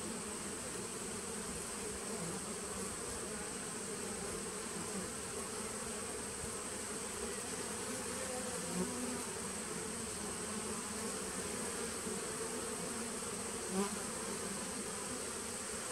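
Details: A 2017 nuc of honey bees heard on 19 September 2018: continuous layered humming from the colony, steady in loudness, with a couple of brief soft clicks near the end and a constant high whine.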